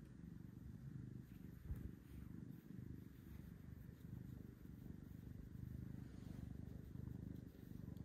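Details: Big purrs from Carlisle, an orange adoptable cat at Seattle Humane described as a gentleman cuddler; a continuous low, throbbing rumble pulsing rapidly with gentle rises and falls, steady throughout over soft background hiss.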